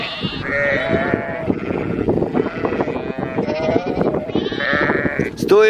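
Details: Sheep and two-week-old lambs herded by Border Collies and a Kelpie; several quavering bleats overlap, one near the start, another around one second and more near three-and-a-half and five seconds, amid constant hoof and body shuffling and some speech.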